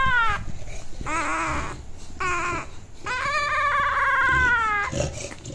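An English Bulldog puppy gives a series of drawn-out, wavering howls and whines.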